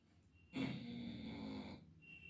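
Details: Labrador Retriever named Leo snoring while asleep at five in the afternoon indoors: one long rasping, nasal snore lasting about a second and a quarter, with a faint steady high whine in the background.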